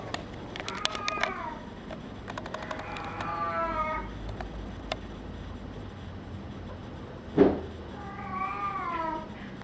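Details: Male brown tabby and white kitten born 27 February 2011, mewing repeatedly in short wavering cries, a burst of several mews early, another series midway and a final string of mews after a sharp knock.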